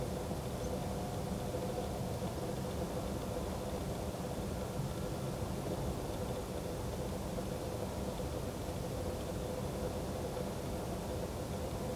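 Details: Steady low rumble of passing traffic or engine noise fills the recording, with no animal calls heard.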